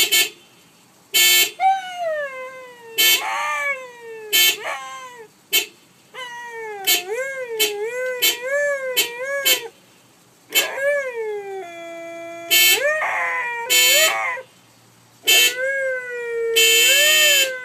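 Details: Pet Siberian Husky howling along with a car horn: long wavering harmonic howls, rising and falling, some breaking upward into yips, sung between and over repeated short horn blasts.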